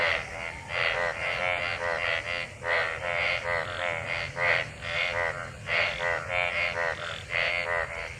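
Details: Frogs gathered in monsoon rainwater, mating and calling together: continuous overlapping croaks, harmonic and nasal, several voices alternating in fast succession, with a soft constant hiss beneath.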